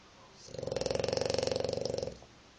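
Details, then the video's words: A dog snoring like a pig: one drawn-out, rasping, pulsed snore lasting about a second and a half, made of fast regular buzzy pulses, rising in loudness, then fading; quiet room otherwise. "Dog snoring like a pig"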